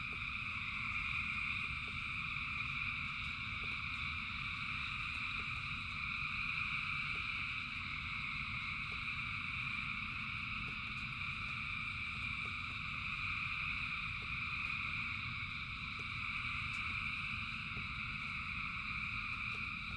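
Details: Frog chorus of thousands in the rain, a seamless wall of high, buzzing trills holding steady throughout, with a deep rain rumble underneath and faint irregular tapping drops.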